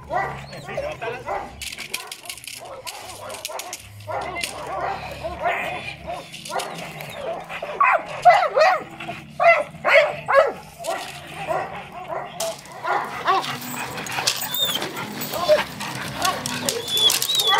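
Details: An 8-month-old Presa Canario gives a run of gruff barks mixed with whining, voiced calls.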